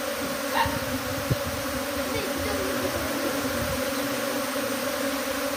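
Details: Honey bees swarming from hive to tree, a thick unbroken buzzing drone with a steady low hum and a higher ringing band, plus one or two short louder buzzes as bees pass close.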